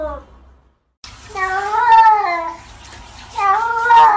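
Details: Domestic cat indoors giving long, wavering, harmonic meows with rising and falling pitch, two drawn-out calls separated by a short pause, after a brief cut.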